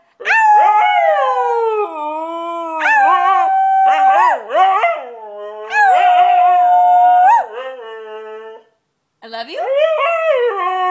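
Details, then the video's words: A white Siberian Husky singing loudly delivers a series of long howls with yodelling bends and wavering pitch, several phrases in succession, a short silence, then a final rising howl. "White Siberian Husky singing Loudly"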